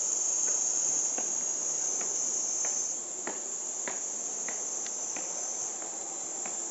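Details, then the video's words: Japanese summer cicada chorus from 2014, recorded with a Panasonic Lumix TZ20/22 and described as louder than 120 dB; an unbroken shrill high buzz, dropping a little in volume halfway, with sharp knocking clicks repeating roughly every half second. "Cicada sound in japanese summer over 120db!"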